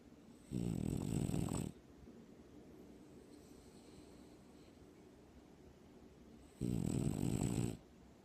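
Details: Sleeping dog snoring indoors: two long, rasping, low snores, each over a second, separated by about five seconds of quiet room hiss.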